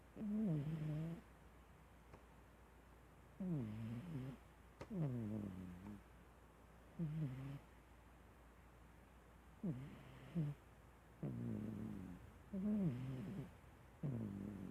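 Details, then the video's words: Domestic cat snoring in its sleep, with about nine short, rough, low breaths in irregular rhythm and a soft hum in the gaps. "Snoring Lilly Cat."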